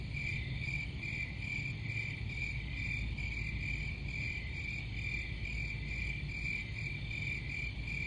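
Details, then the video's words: Crickets sing a bright, rapidly pulsing chirp that repeats without a break at one even pitch, while a low background drone fills the lower range. "Crickets Sound"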